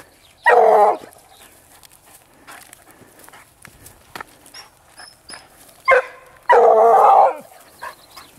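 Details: On the track of wild boar, the Vallezano dog Grapa bays three times: a strong half-second howl, a brief yelp several seconds later, then a longer ringing bay, with soft rustling and faint bird notes between.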